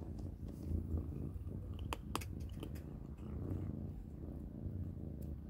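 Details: Several domestic kittens eating dry cat food for dinner indoors, with a low continuous purring rumble and crunchy clicks from chewing, sharpest around the middle.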